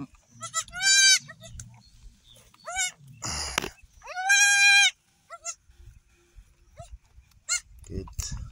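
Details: Newborn goat triplets, three female kids on an off-grid homestead in Uganda, searching for their mother's teats; loud, wavering, high-pitched bleats in short bursts of about a second, with a brief noisy rustle and faint music between them.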